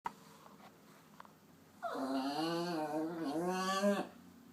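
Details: Papillon mix dog named Popcorn sulking indoors after being upset, giving a drawn-out tonal whine of about two seconds with a wavering, rising-and-falling pitch, quiet room otherwise.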